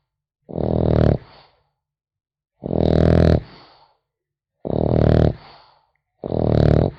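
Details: French Bulldog puppy snoring in sleep: four loud, coarse, buzzing snores at roughly two-second intervals, each ending in a short wheezy fade, quiet room otherwise.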